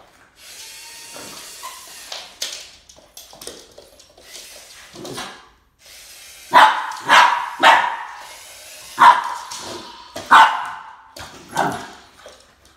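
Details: Boston Terrier named Max barking while confronting a snake, standing its ground; a run of about seven sharp, clipped barks packed into the last six seconds, preceded by softer rustling and scuffling sounds.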